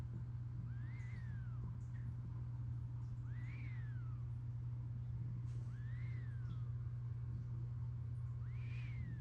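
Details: Siberian cat asleep and snoring, giving four soft whistling arcs that climb and then slide down, spaced evenly about two and a half seconds apart, against constant low humming in the room.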